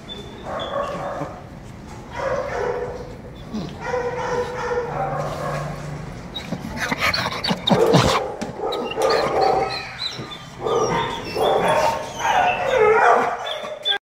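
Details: Female Staffordshire Terrier at a shelter crying for attention, giving repeated whimpering cries and yelping bursts in irregular bouts, with other dogs barking and kennel clatter around her.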